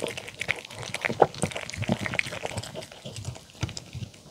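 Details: Poodle Mong chewing a homemade chicken tender and apple, carrot and cabbage salad with pumpkin, egg and olive oil dressing, in a small room. Soft, scattered crunches and smacking chews, quieter toward the end, with a few sharper bites.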